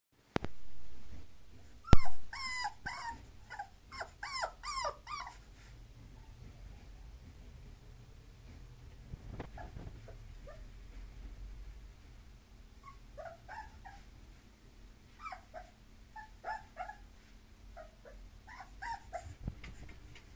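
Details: Bulloxer, a mixed-breed dog, giving short high whines and yelps in bursts early on and again near the end, between quieter stretches with a low indoor hum.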